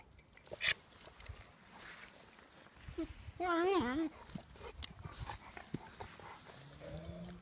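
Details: Saasi, a puppy, playing with her father Gladio: one short wavering whine with a bending, wobbling pitch lasting under a second midway through, amid scattered clicks, rustling and faint background noise.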